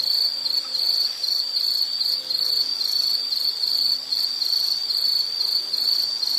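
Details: High insect chirping in a relaxation nature recording: an unbroken piercing trill of quick pulses, loudness swelling and easing slightly, with a faint low hum in the background.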